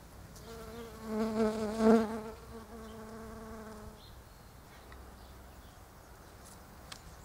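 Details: A bee among pink Japanese quince blossoms, darting between flowers; its buzz swells loudly as it flies close, peaking around the second mark, then drops away after four seconds, leaving quiet background.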